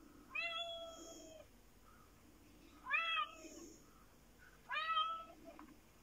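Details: Indoors, a black fluffy Japanese cat meows three times, spaced about two seconds apart, each a clear harmonic call held level then dipping at the end, while Sooty, another cat, looks on.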